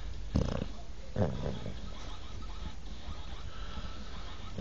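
A basset hound snores in deep, rumbling, growl-like bursts with quieter breathing between them.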